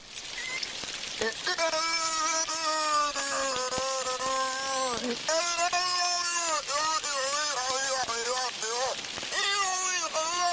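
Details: A captive beluga imitates human speech, copying its pitch, cadence, rhythm and tempo, with voice-like harmonic phrases rising and falling, ending in a little blow; recorded by hydrophone in its tank during cleaning.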